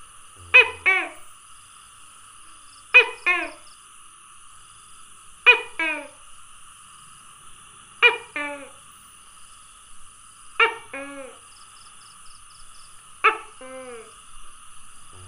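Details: A tokay gecko (Gekko gecko) gives its loud two-part 'to-kay' call, repeated about every two and a half seconds; recorded 27 May 2020.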